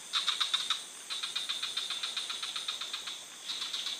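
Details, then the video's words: Rapid rattling pulse series from a frog in the forest, louder at the start, then a steady run of evenly spaced clicks before a final burst, against a continuous high hiss. "Dreamy Frog Melodies: Sleep Aid for Insomniacs - frog sound for sleeping"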